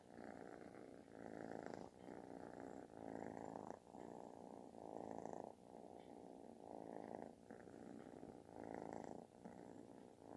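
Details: Snore-like purring from a kitten seeking attention; steady rumbling purr rising and falling with each breath, around thirty-four cycles per minute, in a quiet indoor setting.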